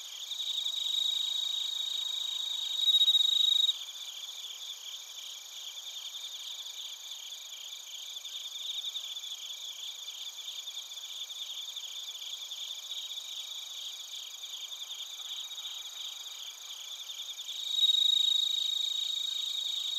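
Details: Bell crickets and other crickets in Narita, Chiba Prefecture, Japan, captured on a TASCAM Portacapture X8: a dense, high, rapidly pulsing trill runs throughout, with two louder ringing bell-like bursts near the start and end.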